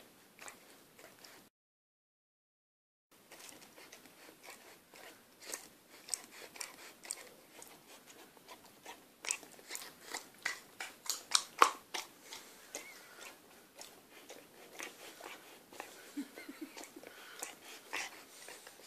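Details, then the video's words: Akita puppy, six months old, struggling with sticky toffee from a chocolate eclair. She settles, then goes ballistic again. Rapid, uneven crunching and smacking clicks build to louder bursts after a short break of silence near the start. "Dog trying to chew sticky toffee"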